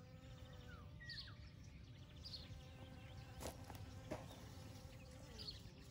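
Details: Honey bees gathering pollen and nectar from field poppies on a May morning in 2022; a continuous droning buzz fills the recording, joined by scattered soft bird chirps and a couple of sharp clicks.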